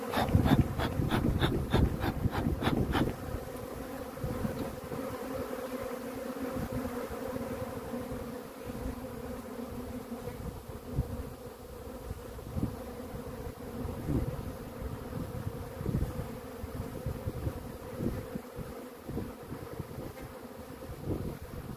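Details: Honey bees from a swarm hum in a steady, low, droning buzz with a faint higher overtone. A string of sharp, rapid clicks runs through the first three seconds, and soft rumbling handling noise sits beneath.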